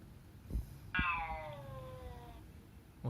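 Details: Cat meow, heard while a sleeping house cat's reaction is tested: a single drawn-out meow that starts bright and slides steadily downward for over a second, with soft thumps before and after in a quiet room.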